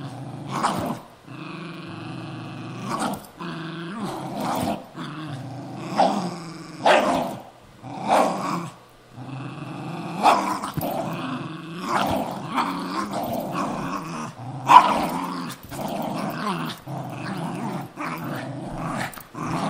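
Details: Two pet dogs, a Cairn Terrier and a Jack Russell Terrier, fighting over an old golf glove: steady throaty growling broken by many short snarling barks and yaps, in irregular bursts across the whole stretch.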